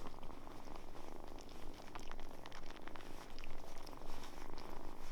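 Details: Kitten that quickly lets down its guard and opens up to people, purring: a low, steady rumbling purr pulsing in regular waves about twice a second, with a few faint clicks and crackles above in a quiet indoor setting.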